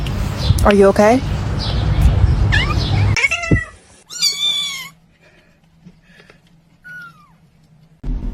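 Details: Domestic cat from a funny compilation making several short meows, then a loud, clear, drawn-out meow and a faint later mew, with speech and music at the start and a steady hum.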